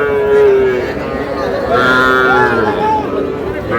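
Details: Young calves at a Bangladeshi livestock market in Madaripur, where small bull and heifer calves change hands; a steady low moo followed by shorter, upward-bending bleating moos, with background voices of the crowd.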